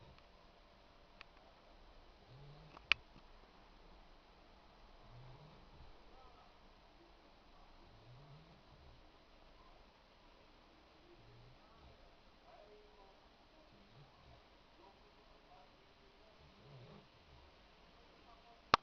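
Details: A 3-month-old Boxer puppy named Ara, asleep and dreaming, snores softly indoors: low, quiet breathing rumbles repeat about every two seconds, with a few sharp clicks near the start and end.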